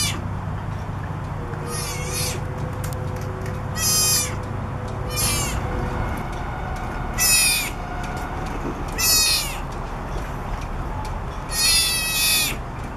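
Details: Southern sea otter pup, three weeks old, born around January 15, crying for its mother from the back of a boat in Monterey, California; piercing high squeals with falling harmonics repeat every one to two seconds over low engine-like hum.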